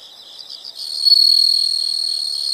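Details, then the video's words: Insects singing: soft pulsed chirps at first, then a continuous piercing high trill rising in loudness and holding steady to the end. "the sound of insects"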